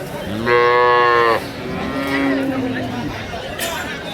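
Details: Loud, rich moo from a Friesian dairy cow at Ambari livestock market, a strong bellow of nearly a second, then a lower, quieter drawn-out moo, with faint voices in the background.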